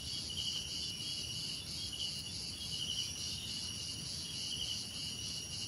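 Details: Continuous high cricket chirping from several insects, a shimmering pulsed trill at a few stacked pitches, steady in loudness, with quiet low ambient noise.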